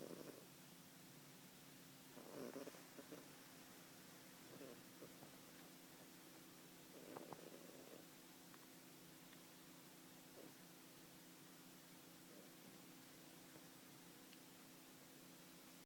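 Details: Louis, a one-year-old British Blue cat, snoring while asleep: soft, breathy low snores come in short bursts every two to three seconds over a faint steady hum.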